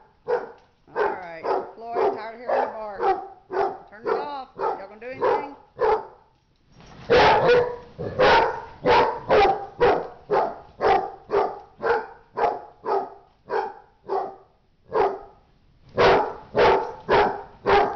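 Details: Dogs in a fight, barking hard and fast in a rapid series of sharp, harmonic barks, clustered in bursts with a brief pause near seven seconds, then continuing roughly once per second.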